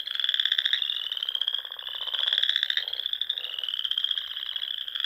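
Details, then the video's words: Frogs singing in spring among the Sandhills of Nebraska at dusk near ponds, a steady high-pitched trilling chorus with rhythmic pulsed notes layered underneath, rising in loudness midway. "RELAXING SOUNDS OF FROGS"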